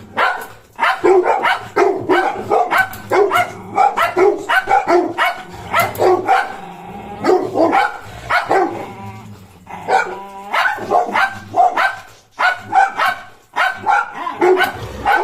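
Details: Golden Retriever puppy, shadowing a German Shepherd, barking in rapid repeated bursts, with sharp yips mixed among lower woofs; a second dog may be barking along.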